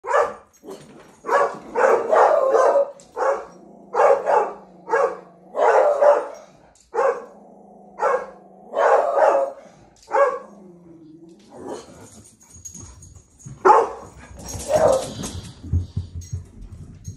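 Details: Dog sounding an alarm with a long run of loud, harsh barks, several per second, over about ten seconds, a low whine between bursts, then scattered barks and a crackling rustle toward the end.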